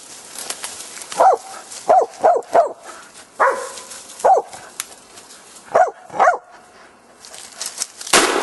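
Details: Korea Tri Hound on a wild boar hunt, giving a run of short, sharp barks in irregular bursts, some doubled, set against a hissing outdoor background with a brief clatter at the end.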